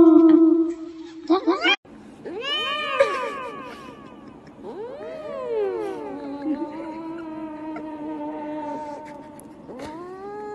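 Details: Domestic cats meowing into karaoke microphones: a string of drawn-out, wavering meows that rise then fall, some held long and steady with rich overtones, separated by brief pauses and clicks.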